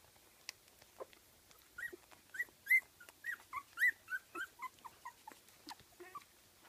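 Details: Kooikerhondje pups at 15 days old, Swedish kennel litter, uttering high squeaky whimpers and yips, a run of about a dozen short arched cries with one louder squeal near the middle.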